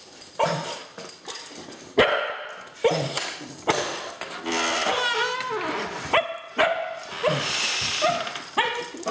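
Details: Two cocker spaniels waiting to be taken to the beach, barking sharply and whining in high, wavering yelps, bursts coming every second or so with brief pauses.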